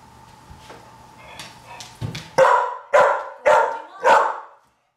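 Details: After a low rumble and faint knocks, Pit Bull Veronica Lynn, being taught to fetch a single-serve bottle of wine from the fridge, lets out four strong barks roughly half a second apart.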